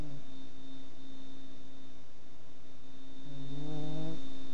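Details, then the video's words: Pug snoring: a steady low drone with a harmonic band held through the clip, then a louder, rougher rising breath near the end, over a constant faint electrical hum. "Snoring puggy"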